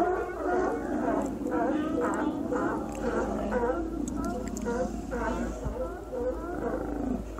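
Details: Sea lions at Cowichan Bay on Vancouver Island in autumn, following the salmon run, in their nightlong serenade. Dense rhythmic hoarse barks about twice a second from several animals, overlapping throughout, with a low background hum.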